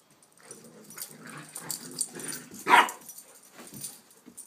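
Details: Two young dogs playing together, a one-year-old Rhodesian and an eight-week-old Shepherd/Rottweiler puppy: low rumbling play growls and scuffling, then one sharp yelp near the end, with faint speech.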